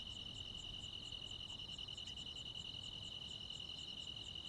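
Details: A midsummer-night chorus of crickets and other insects in rural Korea, dominated by a loud, continuous high trill, with quicker, fainter beats repeating around two or three times per second and little low noise.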